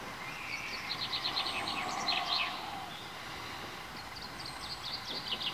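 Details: Meerkat pups, four of them at 22 days old, newly emerged from their underground burrow. A quick series of thin high chirps, about three per second, then fainter chirps near the end over low hum.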